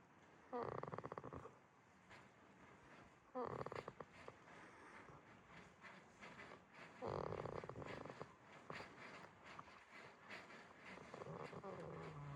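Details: At a quiet farm in Himi, Toyama, Japan, the sleeping goat Jitta lets out three buzzing, pulsed snores a few seconds apart over a steady low background hiss.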